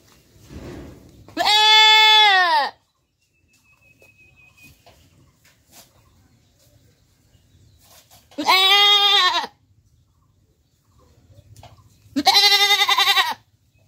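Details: Three separate loud bleats from a domestic goat, spaced several seconds apart. Each is a nasal, slightly arched cry lasting about a second, with quiet rustling between them.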